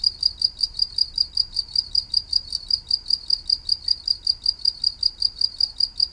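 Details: A green insect, locally called maeng tao thong, gives a cricket-like sound: a high, thin chirp repeated rapidly and steadily, several pulses each second, with only faint low background rumble.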